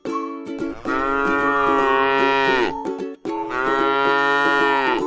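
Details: A resting, gentle cow in a scenic rice field lows twice: long, even, deep-voiced moos that swell at the start and fade at the end, accompanied throughout by light plucked music.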